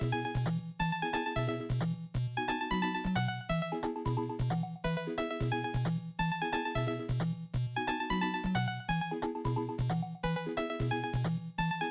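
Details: Bouncy, looping electronic game-style music with a steady repeating beat plays throughout.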